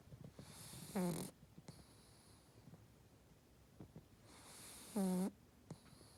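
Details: A pug snoring: two loud nasal snores about four seconds apart, each a short rasping, harmonic-rich rumble with hissing breath above it, with quieter snuffling breaths in between.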